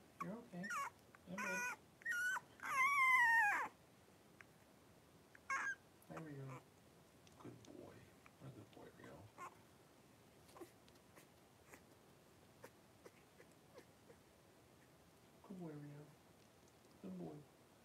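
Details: Three-week-old blenheim Cavalier King Charles Spaniel puppies, a litter of five, wrestling and playing in an indoor home puppy pen; a burst of harmonic, wavering high squeals and whimpers over the first four seconds, then scattered short yelps and soft squeaks.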